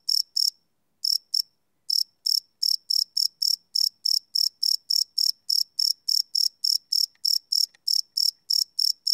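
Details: Night-time cricket chirps captured live with a field recorder: short high buzzy pulses repeated rapidly, with a brief pause near the start before the even rhythm resumes; nothing else audible.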